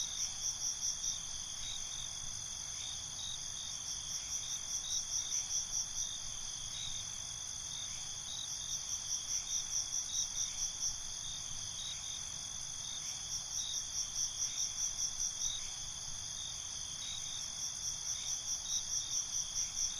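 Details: Crickets at night, a steady high trill with bursts of quick pulsed chirps about every four to five seconds, several callers overlapping over a soft low rumble.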